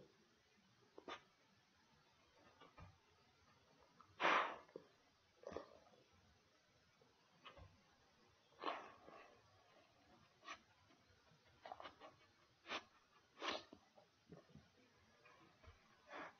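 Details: Pig ears being chewed by a dog: sparse, sharp crunching snaps and wet gnawing clicks spaced a second or more apart over near silence, heard indoors.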